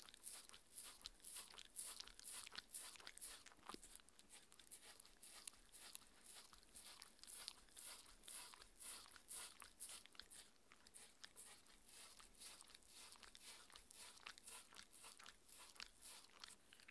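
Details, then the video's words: Mindy, a six-year-old female Shetland Sheepdog, eats her raw beef dinner, a meat patty. Dense wet crunching and chewing clicks fall about twice a second, steady throughout, with no talking in the quiet indoor room. "ASMR Dog eating Sounds Raw food diet"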